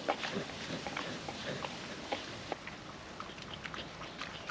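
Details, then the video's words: Female puppy eating wet food from a food trapper mat, windy conditions; soft sticky licks and smacks scattered through, quieter and lighter than heavy chewing, over a steady wind hiss. "Wet food ASMR dog eating sounds"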